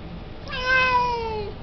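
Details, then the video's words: A chatty male Siamese cat asking to go outside to play gives a single meow of about one second, bright and harmonic, sliding slowly downward in pitch, in a quiet room. "Siamese cat meow meow voice"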